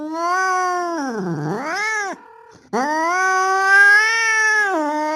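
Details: Male street cat resembling a Bengal, calling to a female in heat: a long, loud, harmonic wailing yowl that dips low mid-call and rises again, broken by a short pause before a second sustained, slightly rising howl.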